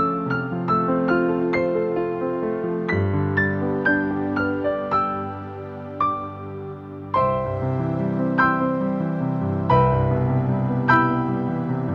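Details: Gentle piano music plays throughout, with no animal sound.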